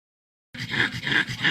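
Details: Pug making a funny noise: after a short silence, a rough, whiny grunting voice rises and falls in three pulsing swells, each lasting about a third of a second.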